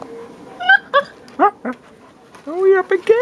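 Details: Leonberger puppies, five weeks and four days old and about 5.5 kilos each, whimpering: short rising yelps, then longer high whines that bend up and fall, several in quick succession, with a person's voice talking softly nearby.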